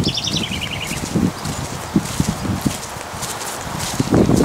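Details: Purebred Lusitano horses on a riding outing: dull, low thuds of hooves fall at an uneven walking rhythm over a rural outdoor background, with a short descending trill from a bird near the start.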